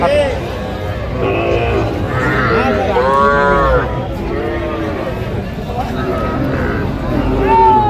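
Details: Young bull and heifer calves at a cattle sale; one arched, drawn-out moo swells near the middle, with men's voices haggling close by and a low background rumble throughout.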